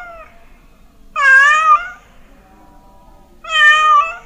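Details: A cat gives two clear, prolonged meows about two seconds apart, with a faint tail of an earlier call at the start, offered as a sound that drives mice away. Each meow is bright and harmonic with a slight downward bend.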